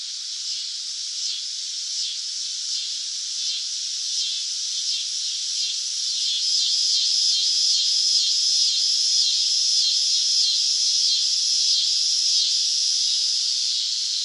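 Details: Summer cicada song: a loud, high, shimmering buzz made of rapid pulses that swells slightly in volume midway and then holds steady.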